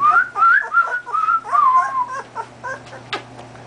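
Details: Male golden retriever puppy, two and a half weeks old, howling in response to a whistle: wavering, rising and falling high-pitched yowls in quick pulses, fading into short whimpers.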